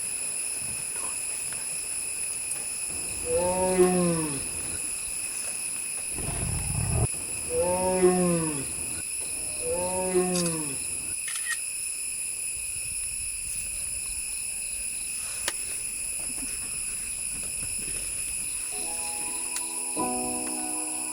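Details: Bengal tiger tigress Sundari in Bandipur Tiger Reserve gives three low, moaning contact calls, each rising then falling, calling her cub hiding in the forest to come to her; the cub did not come.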